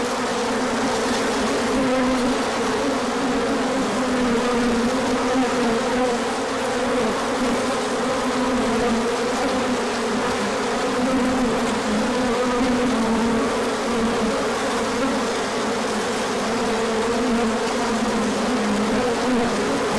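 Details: A crowd of bees making a large orientation flight on a sunny day after a cold spell, 24 March 2024. The wings give a continuous swarm hum of overlapping buzzes that gently swell and fade throughout.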